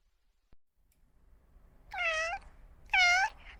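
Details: Cat giving two short, fairly high meows about a second apart after a quiet start with a single faint click.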